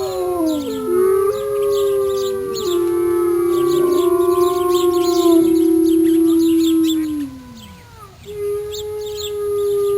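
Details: Several wolves howl together in a chorus. Long, drawn-out tones overlap, some rising and others sinking. The longest falls away after about seven seconds, then a new level howl starts. Quick, high-pitched chirps repeat in the background.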